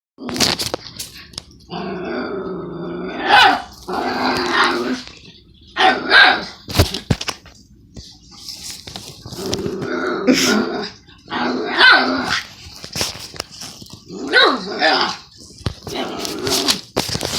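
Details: Pet dog vocalizing insistently at its owner while the owner does homework; a run of loud, harmonic whining yowls and short barks in bursts, with brief pauses between outbursts.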